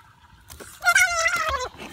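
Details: Frog just caught by an angler, giving a single drawn-out tonal cry lasting under a second: a clear harmonic note that wavers slightly, then drops at the end, over faint low rumbling background.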